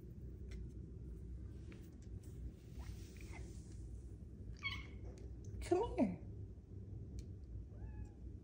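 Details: Luxe, a big female Bengal cat kept indoors as a pet, possibly still growing, gives a short squeaky meow with a bright, falling pitch. Softer chirps come just before it, and a woman talks to her affectionately around it.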